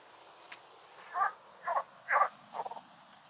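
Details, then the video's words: Frogs calling around a beaver-created pond in a wetland: four short, pulsed, mid-pitched croaks roughly half a second apart after a quiet start, with faint background hiss. "On entend déjà les grenouilles qui font un peu de bruit autour de nous ici."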